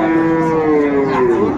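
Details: Sahiwal breed bull calf in Comilla, Bangladesh, where farmers are buying calves, 18 October 2024: a short, loud, tonal moo that starts fairly high and slides gradually lower, then bends up briefly at the close.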